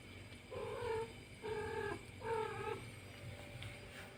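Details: Cat from a pair of nursing cats utters three short, flat meows about a second apart, moderately loud above a constant low background hum.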